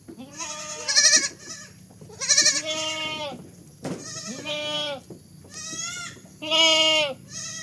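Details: A baby goat gives high, wavering bleats, one after another every second or two.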